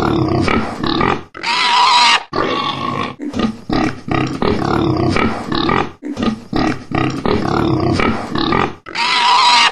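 A pig grunts and snorts in rough, rapid bursts, with a couple of longer harsh squeals.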